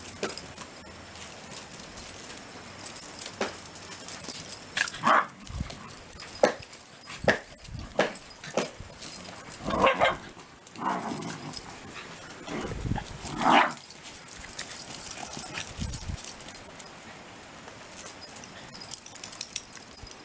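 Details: Shiba Inu named Kunta, being scolded, recorded indoors before Koume's surgery; short sharp yelps and bark-like bursts come irregularly over about twenty seconds against a quiet room background.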